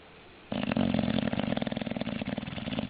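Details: English Bulldog. An English Bulldog snores loudly after a moment of quiet. The sound is a deep, throaty rattle with rapid flutter running through one long breath, fading slightly toward the end.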